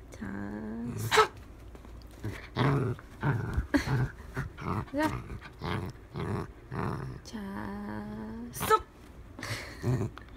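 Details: Pet dachshund indoors during a play session, giving bursts of low rumbling growls mixed with a few sustained nasal whining tones, separated by short pauses; faint human voice and handling noises in the background.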